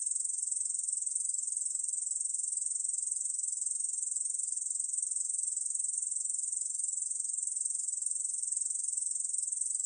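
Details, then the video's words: Korean bush cricket from the National Institute of Biological Resources, 2020, producing a constant sizzling high buzz of rapid pulses without breaks, alone in a quiet background. "중베짱이, 여러번 듣기, 곤충소리"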